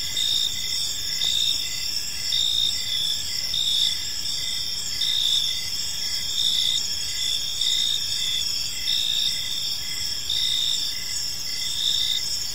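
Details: Evening chorus of crickets in a quiet park, several high shrill trills running continuously while a louder pulsed chirp swells and fades roughly every second, over a soft low hum of distant noise.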